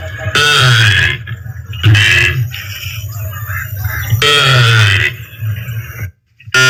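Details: Cow (calf). A young cow gives three loud, rough moos, each a strained nasal bawl lasting under a second. Brief gaps between the calls carry only low background rumble.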